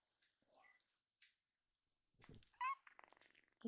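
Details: A rescued baby kitten indoors gives a short high meow with a bent, rising-falling harmonic stack, preceded by faint soft mews and rustling, with a brief voice-like murmur near the end.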